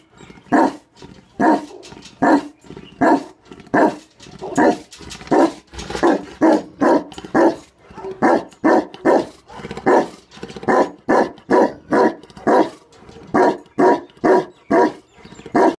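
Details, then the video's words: A Tibetan Mastiff gives a long run of deep, booming barks, some in quick pairs or triplets, others spaced out, roughly seventy per minute and continuing steadily throughout. "Tibetan Mastiff"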